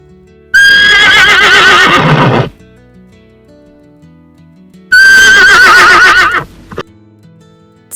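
A horse gives two loud, quavering whinnies, each about two seconds long.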